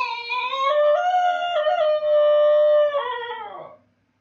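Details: Basenji howling when its owner is away: a strong, drawn-out howl in several held steps, rising slightly then settling and fading after about four seconds.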